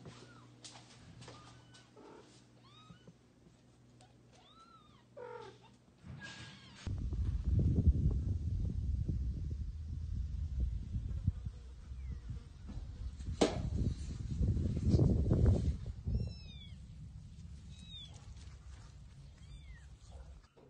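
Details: Loudly meowing kittens being moved to a new place by their mother cat: high, arched mews repeated at the start and again near the end, separated by a long stretch of heavy, low rumbling handling noise.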